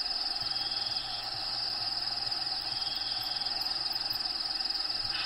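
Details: Cricket calling from within a bearded dragon's vivarium, habitat recordings in the background: a rapid, evenly pulsed high trill sustained throughout, with a faint low repeating hum beneath.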